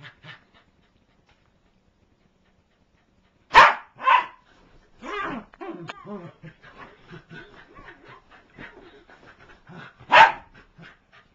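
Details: A corgi attacking her plush toy gives sharp, loud barks between stretches of quieter, rumbling growls and grumbles.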